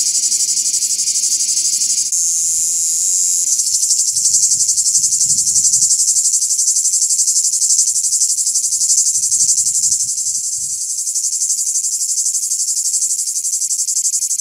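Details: Greek cicadas singing in summer to communicate with others of their kind: a steady piercing high buzz with fast regular pulses, a brief shift in tone near the start, and faint low rumbling in the background.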